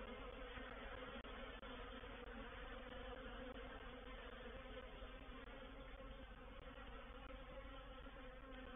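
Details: Reproductive swarm of honey bees moving into a bait hive (swarm trap) at Painted Peacock Manor on 04/07/21: a dense, steady, droning hum with layered low tones, unbroken throughout, apart from a couple of tiny clicks.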